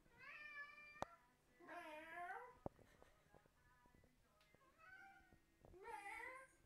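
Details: House cat responding to fake meowing from people; several stretched, bending meows with rich harmonics, some loud and some softer, separated by short quiet spells and a few clicks.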